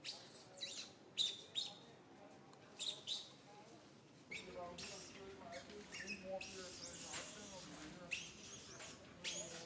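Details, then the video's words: Santo, a little monkey in a bad mood, whimpers and shrieks while mother Sara ignores him; loud piercing squeals open the stretch, then steadier wavering moans continue with occasional sharp cries. "Little Monkey SANTO cries so sadly in bad mood"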